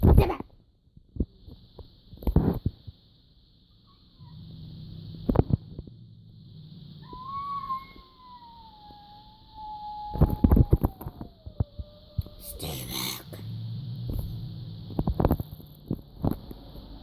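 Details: House cat giving a strange drawn-out sound: one long, thin tone that rises briefly, then glides gently downward for about five seconds. Scattered knocks and rustling come before and after, over a steady electrical hum.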